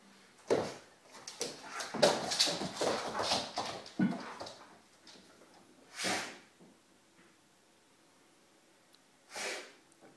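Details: A Vizsla indoors on a rainy day, during zoomies, whines and grumbles in quick, uneven bursts, making clear he would rather be playing outside.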